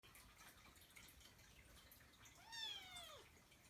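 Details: Persian Chinchilla kitten named Kkung, a household's second cat, gives a single arched meow indoors, rising then sliding down over about half a second, with faint dripping and room noise behind it.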